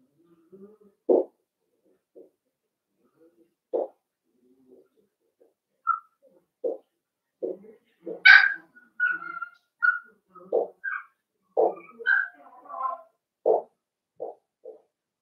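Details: Young Cavalier King Charles Spaniel puppies at play inside a home pen: scattered soft grunts and low yips, then a cluster of higher squeaky barks and whines in the middle, tapering back to quiet grumbles.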